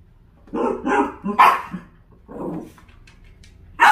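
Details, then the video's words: A Dachshund barks while reacting to a puppy wedged beside an air conditioner. Two quick barks, a louder sharper one, a softer muffled bark, then a final sharp bark at the end. "에어컨 사이 낀 강아지를 본 닥스훈트 반응?"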